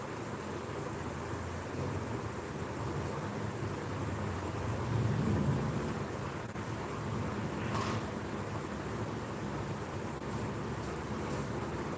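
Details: Steady broadband rumble of rain and distant thunder or passing traffic, with low, dense noise throughout and a brief brighter swell near the eighth second.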